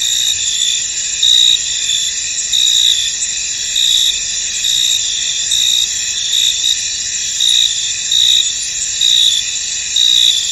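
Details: Field crickets in fog giving a dense, high ringing chorus, with short brighter chirp bursts repeated roughly every second and a half over the steady drone.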